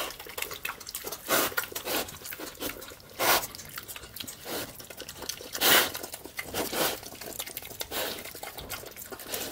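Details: A piglet eating slop on a farm chews and slurps noisily, with wet crunching and smacking bursts.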